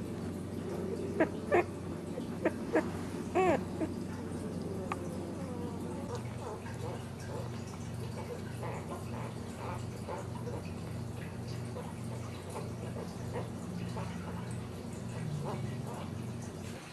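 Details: Ten-day-old Dachshund puppies kept close by their protective mother give a burst of high, wavering squeaks in the first few seconds. Fainter, scattered squeaks follow over a steady low hum.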